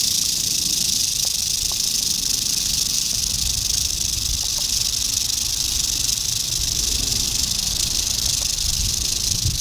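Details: Dated 8-27-11, an eastern diamondback rattlesnake gives a nonstop hissing rattle lasting close to ten seconds, steady and bright, over faint low rustling.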